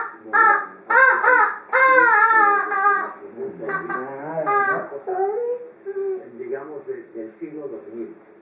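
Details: Female Dobermann Freja, busy with her toy, makes funny noises: loud bursts of wavering, whining howls that fade into softer, broken moans and murmurs.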